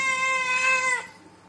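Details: Single drawn-out meow from a kitten asking for food, held flat and bright for about a second before sliding down and fading.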